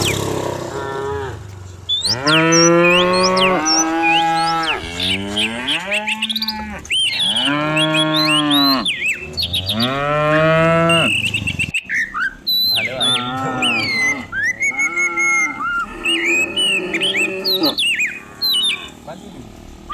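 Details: Dozens of cows herded down a countryside hill in the morning, running in open village pasture: a series of long, deep, harmonic moos, some overlapping, over steady high, chirping birdsong.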